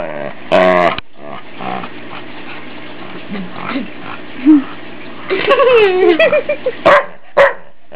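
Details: Ike, a family dog teased playfully by his family and enjoying the attention, gives a short sharp bark, then a longer harmonic whining bark-growl and two more quick barks over a steady low hum.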